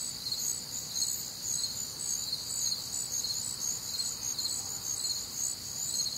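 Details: Warm, humid summer night in the Midwest filled with cricket song: high, shimmering chirps in overlapping layers, pulsing steadily throughout with no other prominent sounds.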